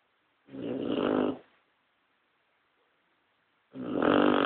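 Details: Sleeping Cocker Spaniel giving loud, rough, drawn-out snores, about one second each, two breaths roughly three seconds apart; a second dog sleeps quietly nearby, and the room is otherwise still.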